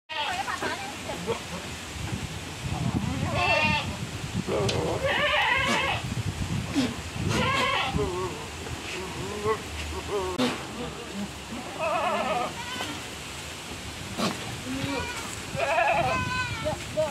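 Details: Domestic goat with black-and-white spotted coat, kept and described as very fierce before the Qurban sacrifice; repeated quavering, wavering bleats at irregular intervals, some rising and falling, mixed with people talking nearby.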